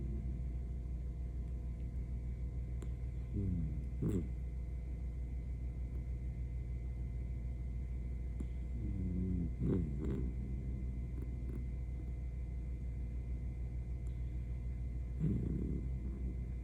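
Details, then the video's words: Senior Miniature Dachshund asleep, snoring in slow rasping bursts roughly every six seconds, each a rough, buzzy rattle, with a steady low mechanical hum running underneath throughout. "シニア犬のいびきが可愛すぎる!眠っている姿に癒される ミニチュアダックスフンド"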